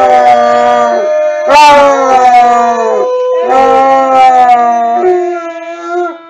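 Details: Basset hound giving a run of long, mournful howls, four sustained phrases of one to two seconds each, every phrase gliding slightly downward and separated by brief breaths, loud and clear throughout.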